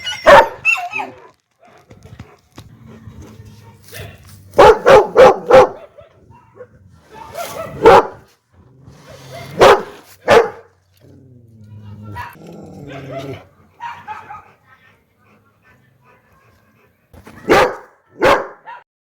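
Deep, loud barks from a Rottweiler, fired in short bursts of two to four with pauses between.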